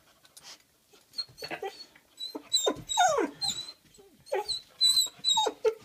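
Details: Almost five-month-old Weimaraner, excited before a walk, lets out a series of squeaky whimpers and higher yips, bursts of whining that bend up and down in pitch, growing more insistent toward the end.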